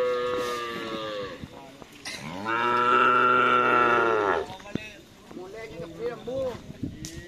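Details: Cattle at a karapan sapi race training session at the Asemanis field in Pamekasan, with one long, deep, harmonic-rich moo of about two seconds that swells and fades, followed by short voiced sounds and laughter nearby.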